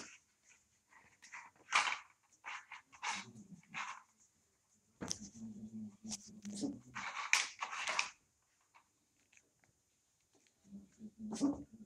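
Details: Puppies twenty-five days old, indoors in a living room at night, let out sharp scattered yaps and squeaky bursts, with low rumbling growls around the middle and again near the end, between short quiet gaps.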